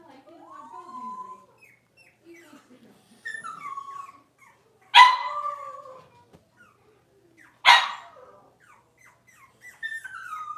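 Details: Six-week-old Cavalier King Charles Spaniel puppies in a puppy pen during deworming and toenail trimming: thin rising-and-falling whines, two sharp loud yelps about three seconds apart, then more high whimpering.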